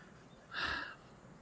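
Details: A water deer (Hydropotes inermis) gives a single harsh, raspy scream that rises suddenly out of a quiet night; it calls like this nightly near the house in Korea.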